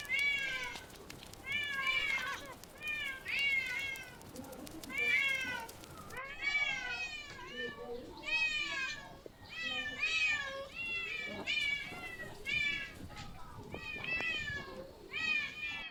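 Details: Street cats meowing repeatedly in a persistent series of short, bright meows with brief gaps, some overlapping and uneven in rhythm; quiet human voices and handling noises underneath.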